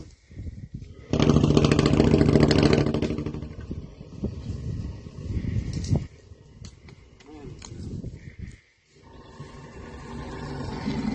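A sleeping elephant snores with a deep, rumbling, rattling rasp that swells loudly and then fades.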